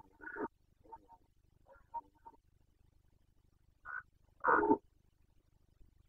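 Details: Rutting Carpathian red deer, Bucovina, Romania, breeding season 2021: a harsh opening bark, a few quieter broken grunts, then a strong, rasping roar near the end, with steady low background hum.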